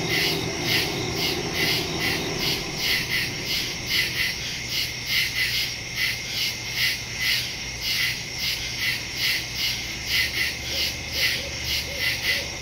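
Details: Night woods in early September, 2023: many crickets chirp together in a bright, shimmering chorus of quick regular pulses, a low steady hum running underneath throughout.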